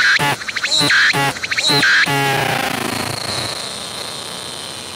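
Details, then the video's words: A singing cicada approached closely on a tree and recorded in 180-degree 3D VR: three loud ringing rising pulses, then a sustained droning buzz that slowly fades. "鳴いているセミに接近して撮影してみた！I approached the cicadas that were singing and took a picture!"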